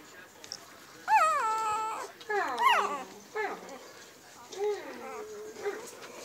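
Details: Siberian husky puppies of a newborn litter, born to Liv on March 25, 2017, give thin squeaky whimpers, each rising sharply then sliding down, in a loose series of four or five over a soft background hiss.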